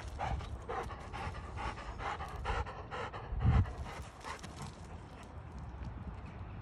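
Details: Fox red Labrador Retriever, a tireless tennis-ball chaser, panting in rapid soft breathy puffs, roughly three per second, with low rustling and handling noise underneath.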